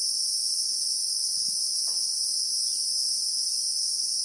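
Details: Christmas beetle (Anoplognathus) chorus in South African bushveld among acacia trees, recorded in real time: a steady, shrill, unbroken drone in two high bands, with a few faint low clicks in the background.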